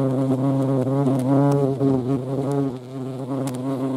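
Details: Low, humming flight buzz of a European hornet (Vespa crabro) visiting a feeding place, its pitch sliding up and down in quick wobbles and loudest around the middle, then easing off.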